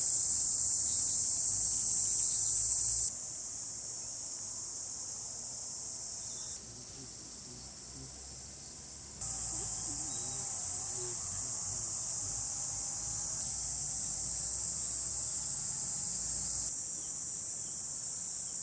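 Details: Cicadas shrilling in summer sunshine among countryside flowers in Hiroshima Prefecture, Japan, July 2021: a steady, very high buzzing hiss that steps up and down in loudness across several sections, with a faint low hum underneath.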